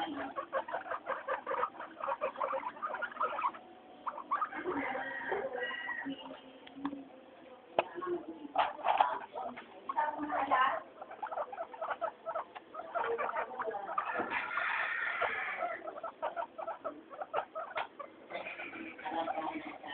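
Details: Pet guinea pigs Mayumi, Archie and Miyuki calling during weekly floor time: a busy chorus of short squeaks and chirps, broken by bursts of longer, brighter wheeking squeals that swell and fade.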